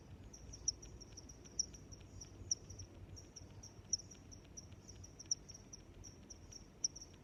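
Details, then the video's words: Cricket chirping in a steady, high-pitched pulse, loud chirps landing about every second over a faint continuous trill and low background rumble. "Sounds of Crickets"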